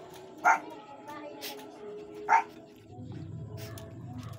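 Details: Barks from a Shih Tzu household where the mother, Gabby, has two newborn puppies: two short yelping barks about two seconds apart, then a low rumbling background noise fills the last seconds.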